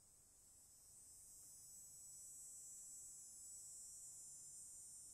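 Cicadas fill the air with an unbroken, shrill buzz, a bright hiss that barely changes in pitch or strength. A faint low hum sits far beneath it.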